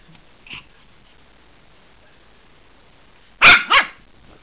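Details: Maltese puppy barking while playing in a cat cube toy: after a faint squeak early on, two sharp, high-pitched yaps come in quick succession near the end, with quiet in between.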